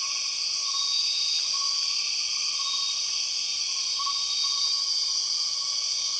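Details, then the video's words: Empress cicada in the Borneo rainforest, known as the 6 o'clock cicada: a steady, piercing high buzz in layered bands holds unbroken throughout, while faint short whistled notes repeat lower down. "The weird sound of empress cicadas"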